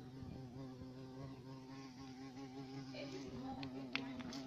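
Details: A black European carpenter bee (Xylocopa violacea), a large hairy bee, drones with a steady, low, rich buzz that holds its pitch throughout.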